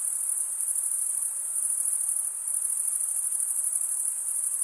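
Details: Chirping crickets, their wings scraping a comb-like vein, fill the air with one steady piercing high-pitched drone of a trill, unchanging in pitch, with only a faint hiss underneath.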